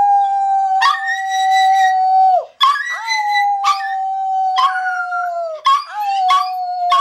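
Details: Male pet Toy Poodle howling indoors right after performing tricks on command. He holds a long, steady, even-pitched howl with a brief break midway, while sharper yelping bursts repeatedly break through on top of the sustained tone.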